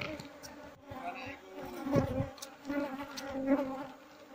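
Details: Continuous drone of a honey bee colony during transfer to a hive box, the hum steady and even, with louder bursts of handling noise and a man speaking in the background.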